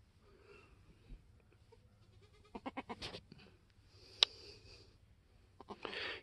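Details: On a homestead, a newborn black F4 Mini Alpine buckling with white-frosted ears and nose, born March 13, 2021: a brisk train of short stuttering bleats mid-clip, framed by rustling, a sharp click and hissy noise.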